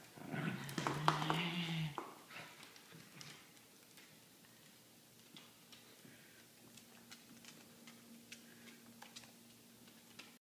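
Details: A corgi playing tug of war with another corgi gives a loud, throaty, rumbling vocal burst lasting about two seconds, then falls quiet.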